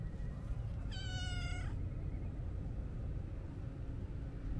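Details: A stray Siamese mix cat lets out a single clear meow lasting under a second, steady in pitch then dropping slightly at the close, over a constant low background rumble.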